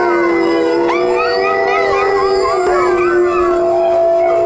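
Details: Dogs in a howling chorus: a low sustained howl runs throughout while higher voices break in with short rising and falling wavers, some quick and yodel-like, all overlapping.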